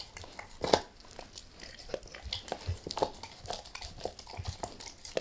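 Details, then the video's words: Max, a pet dog, gnaws a beef rib indoors in a small room, with close sharp crunches and wet biting clicks coming in irregular bursts every half second or so, and no talking. "Max Eats | Beef Rib | ASMR DOG EATING"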